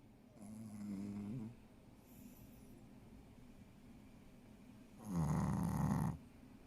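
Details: Ponzu, a female Shih Tzu pet dog, snoring while asleep indoors: soft, rumbling nasal snores, one brief and faint near the start and a louder, buzzier one lasting about a second near the end, with quiet between them.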